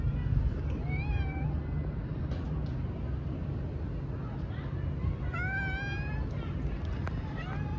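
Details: Female domestic cat uttering two short, clear meows spaced several seconds apart, each rising then falling, against a steady low rumble and faint clicks.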